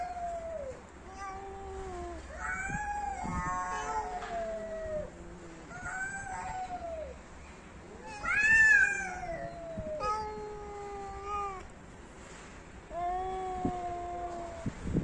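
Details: Cats fighting; a long run of drawn-out wavering yowls and growling moans, pitch bending up and down, with louder harsh screeching bursts near eight seconds and again toward the end, fairly quiet background.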